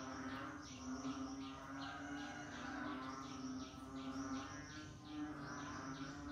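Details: Frogs in the rainy season: groups of quick, high, falling notes come in bursts separated by brief pauses, against a continuous low hum and a busy background chorus.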